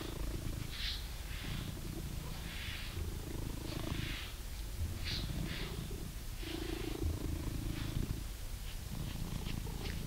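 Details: Blue British Shorthair cat, an indoor male pet in England, purring while being brushed; a steady low rumbling purr continues throughout, with rhythmic scratchy brush strokes sweeping through the fur every second or so.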